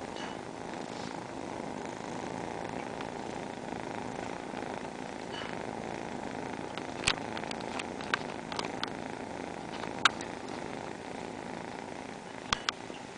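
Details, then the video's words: Steady combined purring from four house cats in a row, a dense unbroken rumble resembling an engine, with sharp clicking taps scattered through the second half. "cat airplane engine sounds"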